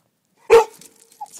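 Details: Rhodesian Ridgeback indoors giving a single sharp bark, alerting that something is not quite right after spotting a cat; one loud abrupt woof followed by quiet, with a faint short squeak after.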